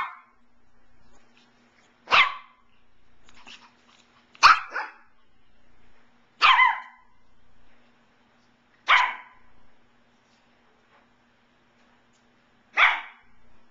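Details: Playful barking from two Shih Tzus at play, including a 17-week-old red and white female: short bright yaps spaced roughly two seconds apart, six in all, with a faint steady hum underneath.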